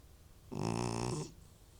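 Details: Single loud snore from an old house cat: one rasping, strongly buzzing breath of under a second that rises in and fades out, in a quiet room.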